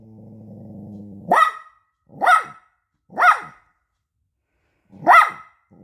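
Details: Offended young poodle refusing food offered on paper: a low droning sound, then four sharp barks roughly one second apart, the last after a longer pause.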